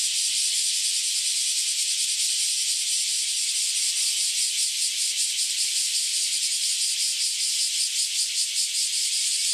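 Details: Cicadas singing together in a loud chorus after emerging from some ten years underground, before flying away; intense high buzzing hiss, pulsing quickly and growing more clearly rhythmic toward the end, no other sounds.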